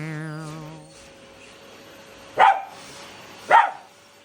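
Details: Shiba Inu and Labrador at home, fighting a running vacuum cleaner during household cleaning: a steady tone fades, then two short, sharp barks about a second apart.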